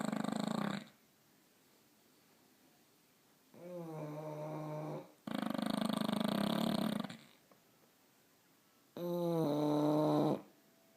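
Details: Snoring from two English Bulldogs in a small room: alternating rough, hissing breaths and deeper droning, tonal snorts, each lasting one to two seconds, separated by short quiet gaps.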